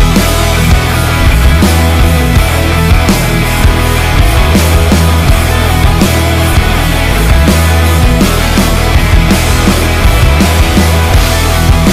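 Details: Loud distorted rock music with heavy bass and drums fills the whole stretch, with no animal sound audible.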